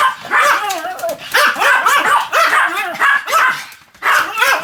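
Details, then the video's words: A Pomeranian named Sam yaps while spinning at high speed, recorded 1 November 2015: a run of short, high, bending barks about four times a second, with brief pauses between clusters. "ポメラニアン サムちゃんの高速回転 約175回 犬の鳴き声"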